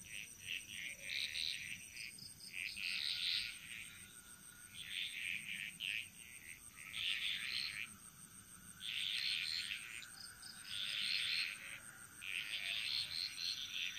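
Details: Frogs singing in chorus in the jungles of Bali, a burst of rattling, buzzy notes high in pitch returning roughly every two seconds in overlapping waves, over a steady thin high-pitched drone in the background.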